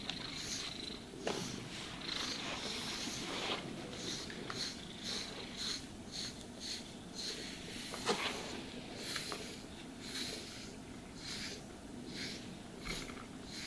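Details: A cat purrs contentedly as it is groomed with a brush, a low continuous throbbing hum overlaid by frequent rasping brush strokes roughly once a second, plus an occasional soft tap.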